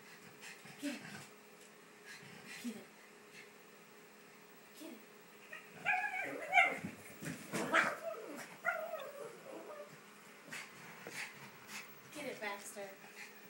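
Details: Baxter, a pet pug being house-sat alongside a Boston terrier, going crazy over a ball toy indoors: high whimpers and yips, scattered at first, then a dense excited burst of squeals mid-clip with toy rattling and some human voice.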